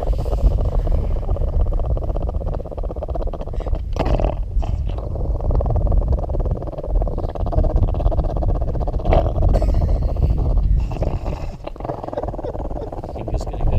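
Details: Charlie, a well-travelled dog guarding his Christmas hot dog, rumbles a long, continuous low growl that scarcely breaks for breath, with a few brief louder flare-ups over the steady throaty drone.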